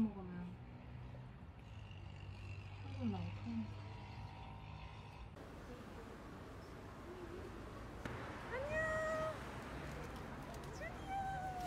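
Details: An eight-year-old pet cat being bathed at home meows in several drawn-out, wavering calls, the clearest a steady tone near the end, mixed with people's speech and household background noise.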